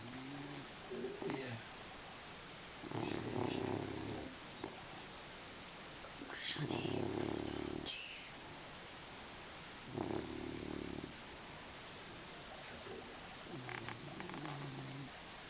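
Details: Sofia the dog sleeping soundly, snoring indoors in slow, regular bursts about every three and a half seconds, each a rough, buzzy inhale with low tonal humming and quiet pauses between.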